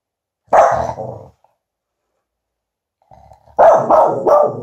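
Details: Finlay the Tibetan Spaniel, a pet dog a bit scared of a balloon he received as a present, gives a drawn-out harmonic bark-growl, then after a pause of about two seconds a second, longer burst of rough, wavering barks.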